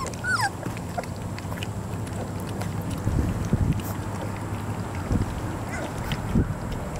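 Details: Three-week-old puppies: one short, high whimper slides downward near the start, then a few faint squeaks, over a steady low droning hum and soft rustling.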